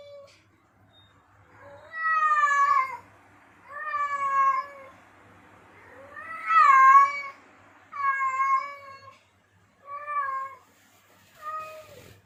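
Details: Male domestic cat in heat calling to attract females: six long, drawn-out harmonic meows, some rising then falling, spaced about every two seconds, in a quiet setting with a faint low hum.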